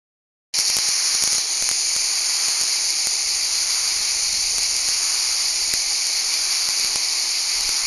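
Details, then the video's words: Cicadas in the Val Trebbia, Italy, singing in a dense, unbroken high buzz that starts abruptly after a brief silence and holds steady, with scattered faint clicks beneath. "cicale in valtrebbia"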